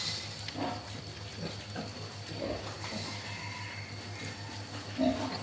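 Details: Playful wild boar making a few soft, low grunts and snuffles at irregular intervals, with one sharper squeal-like grunt near the end, against a constant background hum.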